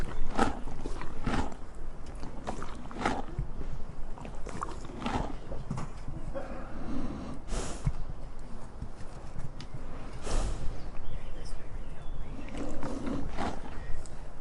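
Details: Donkey feeding: steady crunching and munching bites, broken by occasional snorting breaths and soft rustles.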